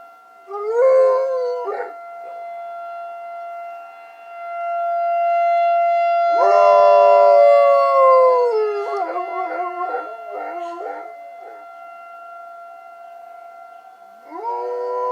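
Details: A pet dog named Coach howls in reply to a tornado siren. Long, wavering, sliding howls come in bursts, with a break of several seconds between them. The siren drones on as a steady, even tone underneath.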